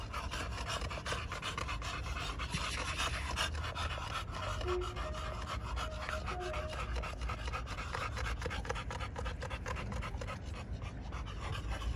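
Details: Rapid, continuous breathy panting from American Bully pocket dogs at a kennel in Romania, the huffs running evenly throughout with a constant low hum beneath.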